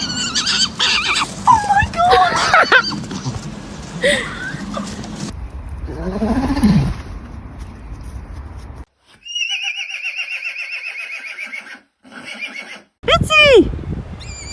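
Horse neighing in a series of short bursts, ending with a shrill whinny that drops steeply in pitch.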